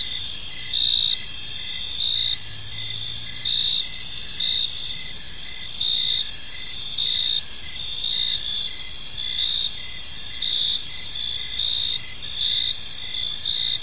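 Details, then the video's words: Crickets in a park at evening, dense shrill trilling with pulsed chirps recurring near once per second and louder bursts every couple of seconds, low hum beneath. "Cricket Sounds in a Peaceful Park"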